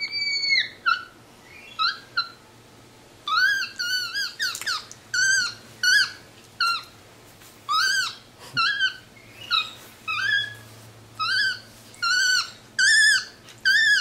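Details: A pet capuchin monkey, very vocal, chatting while resting indoors on a leather couch: a run of short, high squeaky chirps with upward-bent notes, repeated roughly every half second to second, with a faint low room hum.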